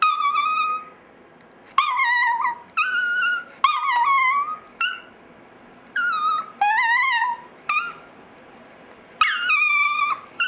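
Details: Pet Chihuahua indoors "singing": a series of drawn-out wavering howls and yelps, each a second or so long, some rising then falling, separated by short pauses.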